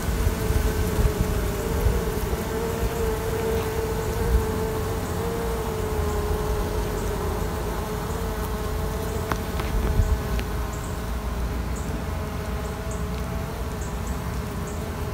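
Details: Queenless honey bees rearing queens give a continuous hive drone whose tonal band wavers slightly early on, with faint ticking overhead from about nine seconds onward.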